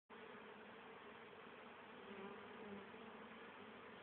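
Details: Honey bees on 10 October 2010, still very active and busy bringing home pollen and nectar for their winter stores: a dense, steady, droning hum of many bees that swells slightly midway, with no other sounds.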